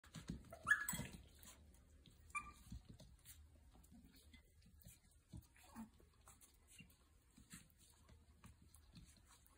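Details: Playing puppies give one sharp, high yelp early on with a short whimpering tail, followed by scattered soft scuffles, thumps and low rustling in an indoor room.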